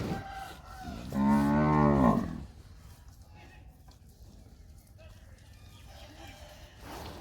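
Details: Sahiwal cattle on a farm in Pakistan, one loud harmonic moo lasting about a second, rising then falling slightly, followed by quieter farm background with faint bird calls.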